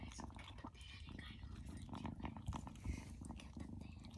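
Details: A young female foster kitten, likely black, purrs loudly in a steady, low rumbling throb close to the listener while looking at a person and being handled, after warming up quickly from initial fear.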